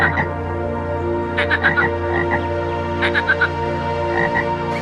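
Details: Frog croaking in quick irregular clusters of short, rattling notes, with brief pauses between groups, over a steady bed of soft background music.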